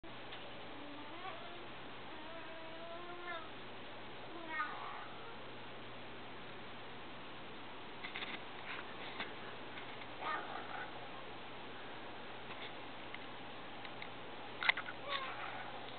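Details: Ten-week-old Maine Coon kittens, one black solid and one brown classic polydactyl, give a series of thin, wavering meows, followed by soft rustling and clicks.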